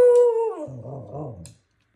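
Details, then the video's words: Husky Pomsky dog giving a short howl: a steady tone that slides downward after half a second into a lower, wavering, talking-like moan, lasting about one and a half seconds indoors. "Husky Pomsky has an important message."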